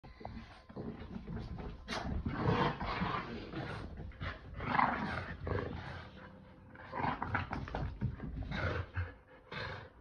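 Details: A Boston Terrier and a Keeshond, two pet dogs, playing tug indoors with a chili pepper toy: rough, noisy growls rise and fall in bursts across the whole stretch, with short breathy pauses, loudest near the middle and again toward the end.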